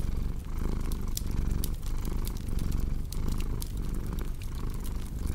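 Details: Cat's low rumbling purr beneath prominent fireplace crackling, the fire's sharp snaps and pops nearly as noticeable as the soft pulsing drone.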